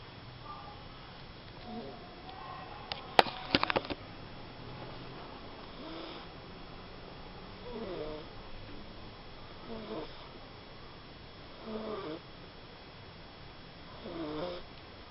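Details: Small pet dog asleep and snoring: soft, rasping snores return roughly every two seconds through the second half. A brief sharp clatter comes near the three-second mark, over a faint steady background hum.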